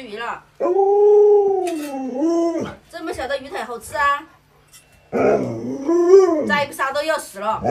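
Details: Pet Alaskan Malamute Luoluo gives a loud sustained howl that dips and then climbs, followed by broken, wavering yodel-like sounds mixed with human speech. After a pause a second rising and falling howl comes, with voices talking over it.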